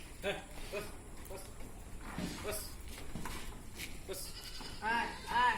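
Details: Black Bengal goats at a farm in Odisha, India, give short nasal bleats, two early and a louder pair near the end, while people talk in the background.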